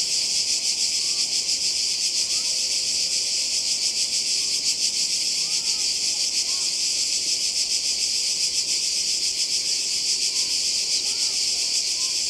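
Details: On the Croatian coast in summer 2020, cicadas fill the air with a constant high, rasping buzz pulsing quickly, while faint scattered chirps sound softly underneath.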